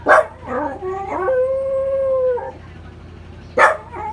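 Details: Male Welsh Corgi howling along with the Memorial Day siren: short yelping notes rise into a sustained, even, plaintive howl of about a second, with another sharp yip near the end.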